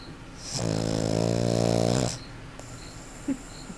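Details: Dewey, a pet puggle, snoring loudly indoors: one long buzzy, rattling snore of about a second and a half, strongly harmonic, followed by quiet room noise.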